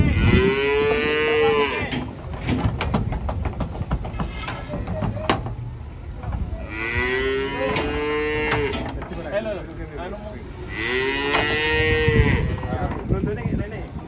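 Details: Cattle coming down off a truck, three long, steady moos spaced several seconds apart, each a deep harmonic bellow, with knocks and rattles between them.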